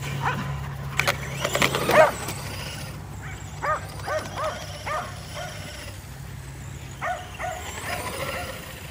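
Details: Kerry Blue Terriers, five dogs kept active at home by chasing an E Revo remote-control car, let out a run of clipped, evenly spaced barks after a loud clattering burst, with a faint engine hum underneath.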